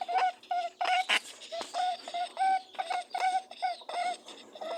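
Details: Rabbits mating, making buzzing, humming and grunting, honking sounds: short nasal honks with bright overtones repeat rapidly, about a dozen bursts in under five seconds, separated by breathy snuffling noise.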